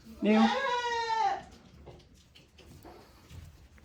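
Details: Goats on a handmade goat farm on 10 March 2024, a one-year-old male with ten-day-old twin male kids crowding around people. One loud, wavering, nasal bleat lasting about a second, followed by quieter rustling and a person speaking.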